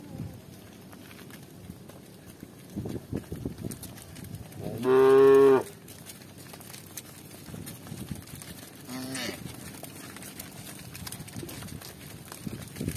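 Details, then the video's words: Village cows walking with shepherds; amid soft rustling and low background sounds, one short, loud moo stands out in the middle, followed later by a fainter brief call. "Cow Sound"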